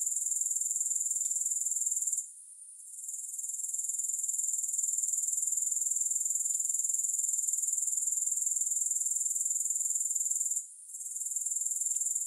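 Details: Grasshoppers chirring nonstop in a thin, very high hiss with a regular pulse of roughly four beats per second, no music. The sound briefly vanishes twice, near two and eleven seconds, with faint clicks in between.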